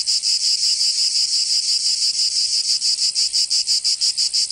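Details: Cicada chorus of a Provençal summer in southern France, a bright metallic whirring that starts smooth and then breaks into crisp rhythmic throbs around three per second.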